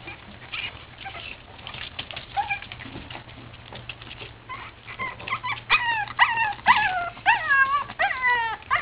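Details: Playing Boston Terrier puppies; quiet shuffling at first, then a run of loud, high, falling whimpers and yips repeated roughly twice a second in the last half.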